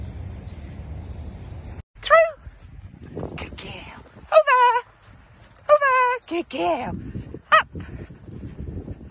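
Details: Playful miniature dachshund giving short, strongly tonal whining yelps, each bending up then down in pitch, in about five bursts spread over nine seconds, with low background rumble between them.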